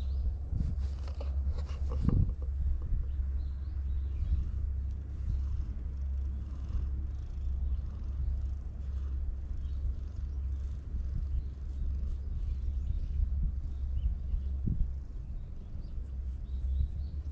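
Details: Community cats living together in a park in Japan, letting themselves be stroked, recorded on a GoPro HERO8; a steady, low, continuous rumbling purr runs throughout, with brief rustling and handling noises near the start.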